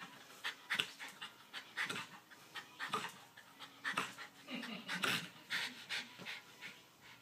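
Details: Pet dog panting after exercise at home; breathy pants roughly once a second, fairly regular, with a few louder gasps midway.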